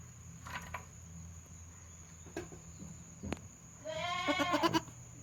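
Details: Young goat kid sticking its head out and making a strange voice, recorded 22 June 2022 at a goat farm; after quiet rustling and a knock, one wavering, quavering bleat rises near the end, fairly soft.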